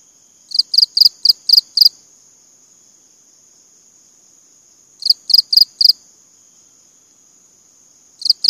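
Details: Cricket giving bursts of five or six fast, sharp chirps, then about three seconds of quiet before the next burst; a faint continuous high tone persists throughout.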